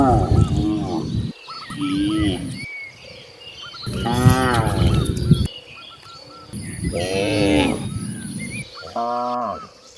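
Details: Cows roaming freely in nature, a herd descending across green fields; several deep, drawn-out harmonic moos, some overlapping and others spaced a few seconds apart, with birds chirping in the background.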